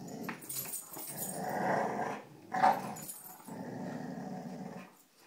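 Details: Playful growling from dogs Cujo, Kali and Lilly tugging on a rope indoors: a sustained rough growl building in strength, a brief sharp yelp-like burst, then another steady growl fading out.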